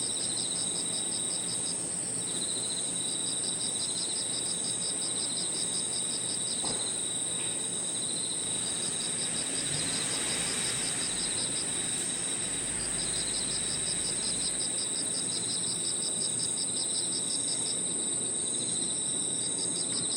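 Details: Evening park chorus of crickets and other insects: one unbroken high whine, bursts of fast beaded pulses, and a lower steady trill, with faint low background noise and a brief soft knock.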